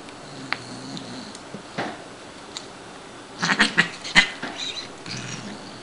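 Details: Female Siamese cat named Shiloh during indoor play: after soft rustling and scattered taps, a quick burst of three or four short, rough meows comes in the second half, followed by quieter shuffling.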